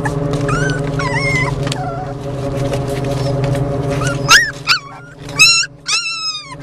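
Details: Four Beagle and Jack Russell Terrier mix puppies riding in a car, stopped at a stop light, on their way to a rescue in Columbus: thin high whines and yips over a steady low engine hum.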